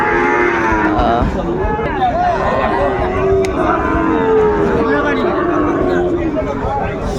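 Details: Livestock market at Ambari on 22 April 2024, with Sahiwal bull calves for sale; a long, sustained moo stands out midway among other bellowing cattle, while people talk and bargain throughout.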